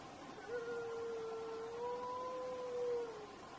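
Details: Long, steady howl of a desert wolf, held on one even pitch for about three seconds, lifting slightly near the end before fading, over a soft background hiss.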